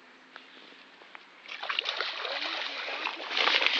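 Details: Water splashing and sloshing on a flooded golf course in Leven, Fife, Scotland, quiet at first and then building into loud continuous splashing, with no animal voice heard.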